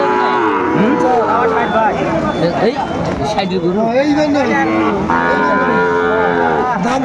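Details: Sahiwal bull calves at a Madaripur cattle market in Bangladesh, bought in rain on 3 September 2024. Wavering, bending moos give way to a long level low near the end, with men's voices in the background.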